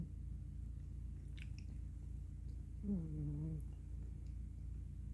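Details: Sleeping black female cat Miss Tinker Kitty, curled up and exhausted on a pillow indoors; one low, humming snore of about half a second midway, with faint light clicks beforehand and steady room hum.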